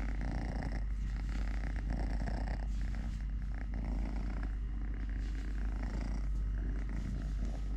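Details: Three-legged domestic cat Totoshka purring contentedly while having food, playing, walking and fighting with a hand; an unbroken throbbing low purr fills the whole stretch, with light scratchy rustles layered above.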